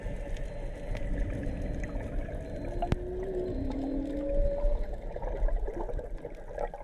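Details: Whale song recorded while snorkelling off Onna Village, Okinawa, Japan, with probably three or four whales calling and sea turtles around: smooth tonal moans sliding and rising through the mid range, layered over low underwater rumble and crackling water noise.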